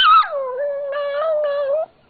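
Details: Yorkshire terrier and papillon mix dog singing on its owner's request indoors: one sustained tonal howl that starts higher, drops and holds a steady mid pitch with slight wavering, ending abruptly after under two seconds.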